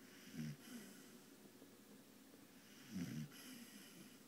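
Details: A female Bull Terrier resting snores, two low rumbling breaths about two and a half seconds apart.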